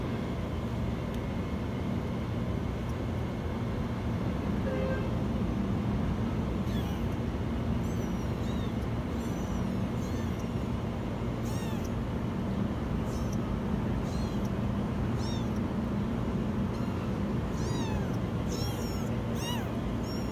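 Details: Kitten trapped inside a washing machine, giving a run of very high, arched meows from about the seventh second onward, repeated every second or so over a steady low rumbling hum.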